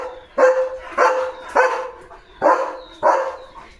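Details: German Shepherd named Leo standing at the house gate on guard, giving rapid sharp barks, five in under four seconds, each a harsh burst with a brief tonal tail.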